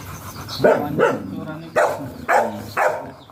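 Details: Golden retriever during a stud mating session at Sta. Barbara, Pangasinan, giving five loud, abrupt barks spaced about half a second apart, with faint murmuring in the background.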